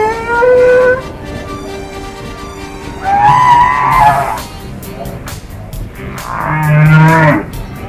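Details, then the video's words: Recorded humpback whales exchanging calls, heard while whale watching in Washington State and Alaska: a short rising whistle-like tone, then two rich harmonic moans about three seconds apart, with a deep hum under the second. "This is what humpback whales sound like when they talk to each other. Let's listen to this recording as we watch the whales."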